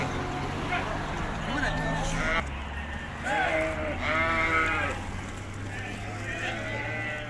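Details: Hissar sheep on a summer mountain pasture in Tajikistan, 20 May 2023: two drawn-out, wavering bleats rich in harmonics, with people talking and a steady low engine-like hum underneath.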